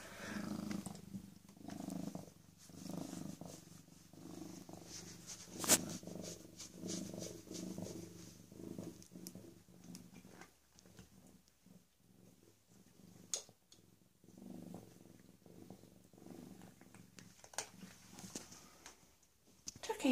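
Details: Rescued female cat PeeWee, roughly 18 to 19 months old and newly spayed, purrs in soft pulsing rumbles early on, then grows quieter among scattered clicks and rustling.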